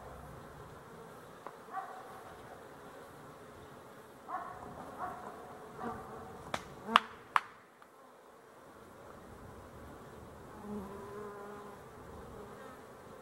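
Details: Honey bees, 12-11-23, in a soft murmuring buzz overlaid by sharp knocking clicks around seven seconds, then the hum continues with occasional nearer fly-bys.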